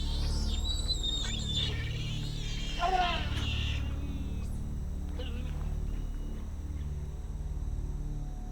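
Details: At dusk in Brazil's Amazon, a giant otter family gives agitated, increasingly desperate contact calls as darkness falls. They search for a missing young female, possibly ambushed by a predator. Thin high squeals and one wavering downward-sliding cry sound over low music.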